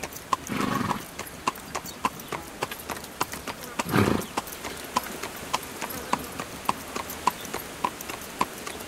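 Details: Horse hauling a carriage, steady hoofbeats about every half second with a clear chiming tick on each, plus two short breathy, rushing bursts near the start and middle.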